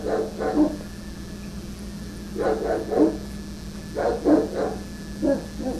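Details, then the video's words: Angry Rottweiler Sarge barks at construction workers clearing branches from telephone wires; repeated volleys of two or three hoarse, low barks arrive roughly every one and a half seconds against a steady background hum. "Angry Rottweiler Barking at Construction Workers"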